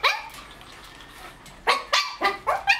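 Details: White Shih Tzu puppies, one month and 28 days old, with their mother at milk time: a single sharp yap, a pause, then four quick high barks in a row, with a woman calling out.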